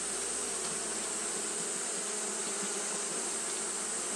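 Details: A short stretch of Japanese honey bees fanning in hot weather: an unbroken, buzzy hum with a bright hiss on top and a faint low drone beneath.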